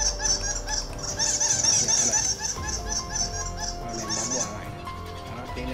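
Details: A male bat's shrill chirps repeat about twice a second, played through a loudspeaker at a roost hut at night (around 1–4 a.m.) to lure bats to roost there so their guano can be collected.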